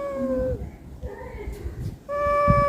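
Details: A visiting cat from Panchanantala, asking for food at Ruby and Kulkuli's home, gives a sustained meow that sags at the end, then a softer wail. A fresh loud meow starts over low rumbling background noise.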